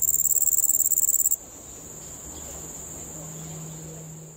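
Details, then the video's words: Cricket at a nature park chirping loudly in rapid, evenly spaced high pulses for just over a second, then abruptly stopping, leaving only a faint distant high trill and a low hum. "Cricket chirping, then stops"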